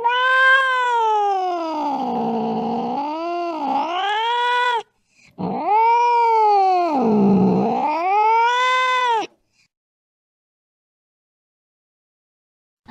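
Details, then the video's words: Cat in the late night during a chase after a mouse: two long, wavering yowls of about four seconds each, sliding down and back up in pitch, followed by silence. "tiếng mèo đuổi chuột trong đêm khuya"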